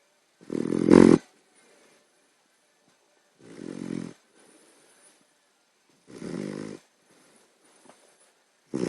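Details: Puppy asleep, snoring loudly enough to keep someone awake; three long, rasping, growly snores about every two and a half seconds, each lasting under a second, with near silence between them.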